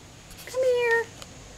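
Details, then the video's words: Lynx point Siamese cat named Precious chattering at fall leaves; a single clear tonal meow, steady and slightly falling, with faint human voices around it. "Lynx Point Siamese PRECIOUS chattering at leaves"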